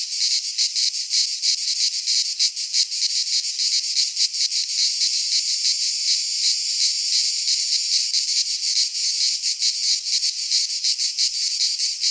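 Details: High, grating drone of cicadas in a Greek pine wood in midsummer, throbbing in quick beats that briefly blur into a smoother hiss midway before pulsing again.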